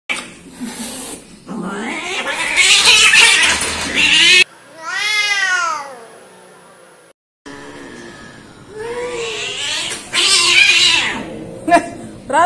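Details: Timid orange domestic cats in a compilation; loud harsh caterwauling yowls, then a clear series of stacked wavering meows, then more strained yowling, with a person speaking briefly.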